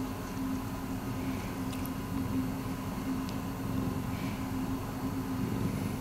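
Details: Miiko, a rescued domestic cat, purring indoors: a steady, low, throbbing rumble that runs without a break, with a faint constant tone and a few soft clicks above it.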